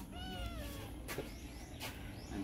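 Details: Black cat giving a drawn-out meow that falls slightly in pitch, followed by faint clicks and low background rumble.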